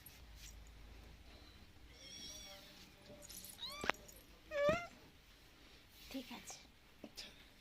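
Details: Roadside-abandoned kitten giving faint, thin meows indoors: a few brief wavering calls spaced about a second apart, quieter than the room noise, with background rustling and occasional clicks and a murmured voice.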